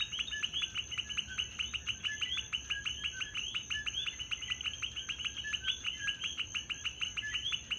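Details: Many coqui frogs in Puerto Rico give intermittent short, upward-sweeping chirps that blend into a dense, rhythmic chorus, with a steady high insect hum in the background.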